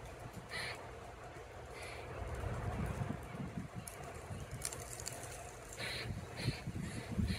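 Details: Grey squirrel in Oviedo, Florida, tail curled over its body, squawking over and over at a second squirrel: short, harsh, scratchy bursts repeated at irregular intervals over a steady low outdoor rumble.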